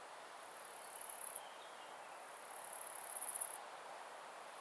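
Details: Steppe bush-cricket, Montana montana, at Siegersdorf, Austria, on 15 June 2020: two long, very high hissing buzzes of about a second each, swelling in and cutting off sharply, over a quiet background.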